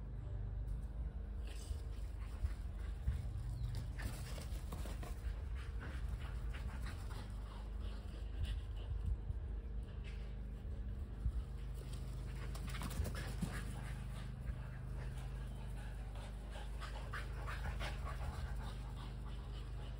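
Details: Kelpie cross and Border Collie dogs chasing a tennis ball, breathing in rapid, breathy pants with a few faint whimpers over a steady low hum of background noise.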